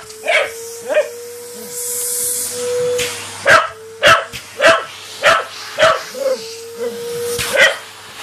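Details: Patterdale Terrier playing fetch, letting out a quick series of sharp barks at roughly a hundred per minute, somewhat irregular, with a low voice and steady hum behind them.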